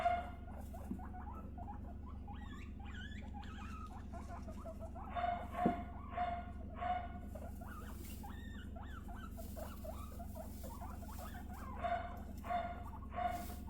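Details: Pet guinea pigs being bonded: three females, two 3.5-month-old sisters and a 1.5-month-old newcomer; a steady run of brief squeaks and chirps, rising into louder bursts around the middle and near the end, over constant low hum.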